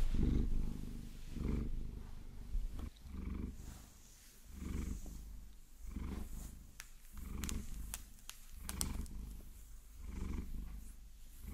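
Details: Pet Maine Coon Vasilisa enjoying a long-nail massage, captured binaurally; steady low purring in rolling swells, overlaid by sharp nail taps and clicks clustered in the middle.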